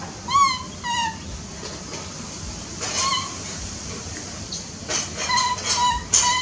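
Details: Baby monkey giving high, thin whistled squeaks with bright overtones, each call gliding slightly downward, a couple in the first second, another near three seconds and a quick cluster around five to six seconds, over a soft hissy background.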